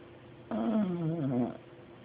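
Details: Dog asleep in a chair, snoring: one drawn-out, rumbling, wavering breath lasting about a second, low and harmonic-rich, over quiet room hiss.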